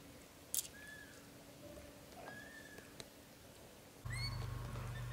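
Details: British Shorthair kittens in their first 30 days, born to Leo and Samel: two faint, thin, high cries, then a louder, harmonic-rich cry near the end over a sudden low rumbling background.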